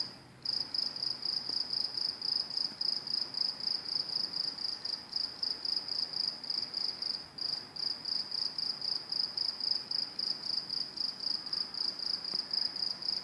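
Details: Near NJT train tracks, crickets give a sustained shrill pulsing trill, roughly four pulses per second, starting after a short half-second pause and continuing evenly over soft low background noise.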